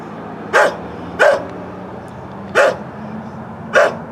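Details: On a Canon Vixia HF R800 camcorder, an elderly neighbour's dog gives four abrupt, rough barks at uneven gaps of roughly one second, against a low background murmur.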